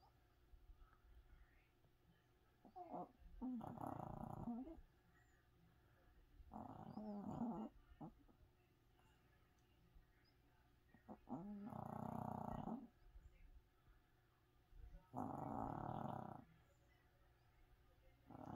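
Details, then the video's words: A tiny sleeping Chihuahua snores loudly. Harsh, rasping snores each last about a second and recur roughly every four seconds, with quiet pauses between. "Chihuahua snoring so loud"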